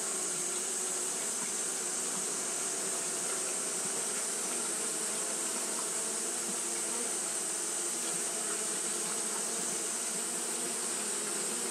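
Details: Continuous hum of fanning Japanese honey bees during hot weather, a thick, level drone of many wings with faint low bands shifting slightly, plus a steady high hiss.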